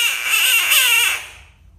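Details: Screaming frog: a single loud, harsh, broadband scream lasting just over a second, then fading away into quiet.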